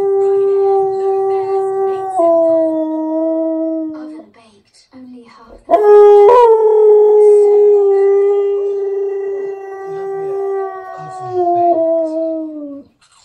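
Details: Indoors, the Husky Key sings to a TV advert: two drawn-out tonal howls separated by a short gap. Each holds a pitch and then steps or slides downward, with rich overtones and little other sound.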